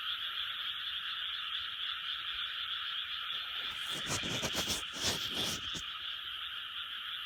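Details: Many frogs calling together in a 2020 recording, a continuous shimmering mass of croaks at steady volume, interrupted midway by a few seconds of loud rustling or scraping bursts.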